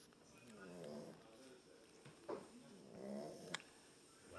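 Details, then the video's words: Small boxer dog snoring: soft, rough, rumbling breaths in slow swells around one and three seconds, with faint clicks between them. "small boxer dog snoring"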